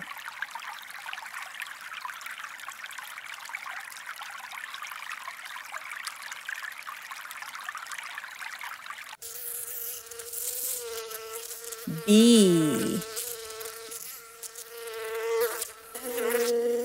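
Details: Bee buzzing as a dense, steady hum for about nine seconds with no breaks, then a sudden switch to a different tonal, wavering animal call with rising and falling pitch.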